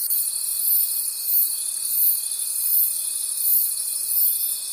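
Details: Nighttime forest crickets, many at once, produce a shimmering high chorus that swells and ebbs roughly every second, over an unbroken thin, steady tone throughout.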